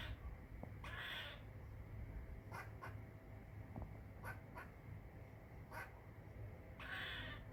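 A squirrel calls in brief, abrupt chips scattered irregularly, with two longer, hoarse, raspy bursts. A constant low hum or rumble runs underneath throughout.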